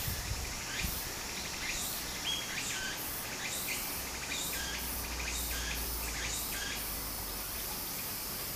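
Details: Summer cicada chorus by a flowing stream in Japan, fainter and more distant: short rasping buzzy bursts repeat roughly every half second over a soft low rumble, with a few brief chirps mixed in.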